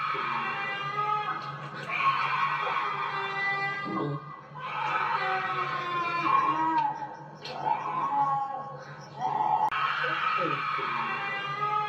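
A bobcat gives harsh, wavering screams in bouts of a few seconds, with a low steady hum underneath.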